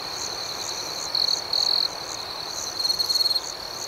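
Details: Crickets at night, a steady high-pitched ringing drone with louder trilled bursts near 1.2, 1.6 and 2.9 seconds, plus a softer pulsed chirping above it repeating about twice a second; no other sounds.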